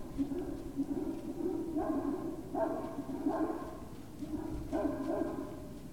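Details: Great Dane puppies at Puppy Hill, 19 February 2019, evening: a run of five brief, evenly spaced yipping barks, each a short harmonic burst, over a constant low hum.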